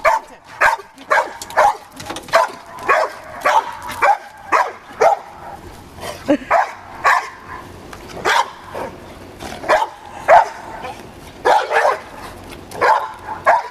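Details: Dogs playing with a balloon; repeated short sharp barks roughly every half second, steady and even throughout, with faint household background.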